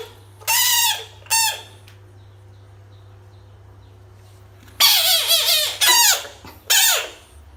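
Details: Screaming frog set against toys: two quick harsh screams, a silent gap of several seconds, then a tight run of three more drawn-out, wavering harmonic screams, over a soft steady hum.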